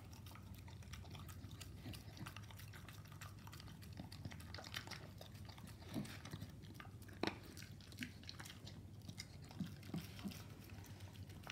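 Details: A Staffordshire Bull Terrier called Koro eats raw meat blended with dog food: soft, steady mastication broken by a few louder snapping bites near seven and ten seconds, with a continuous low hum beneath.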